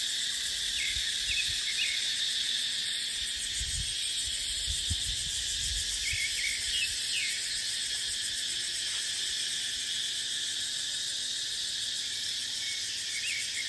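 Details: A constant high cicada drone in dry dipterocarp forest in the dry season, textured and pulsing. Scattered short chirps appear at intervals, and brief gusts of wind rise around the middle.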